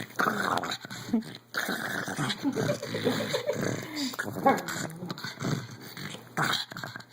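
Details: Otis, a 14-year-old pug, play-fighting and making crazy noises: continuous raspy growling and snorting with whining tones, fairly steady over several seconds, with a faint voice in the background.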